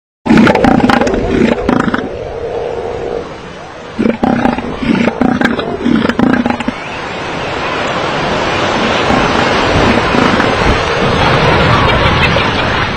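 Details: Southern elephant seal in breeding season, rival males competing for a harem, giving angry threatening warnings: loud, guttural, pulsing roars repeated in bursts for about seven seconds, then crashing surf and steady wave noise.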